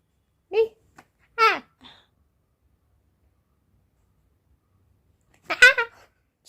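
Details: Kuttimalu, a pet cat in a cranky, agitated mood in a small room, gives three short, harsh meows, each sliding downward in pitch: two close together early on, then one more after a long silence.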